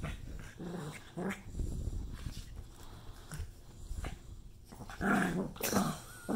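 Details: An angry pug reacts to an obscene hand gesture, growling in low, rumbling bursts, with a few sharper snarling barks near the end.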